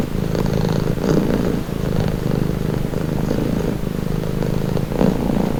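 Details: Domestic cat purring steadily as a calming sound, a continuous low rumbling throb that swells and eases in breath-length cycles of roughly a second or two, with no other clear sounds.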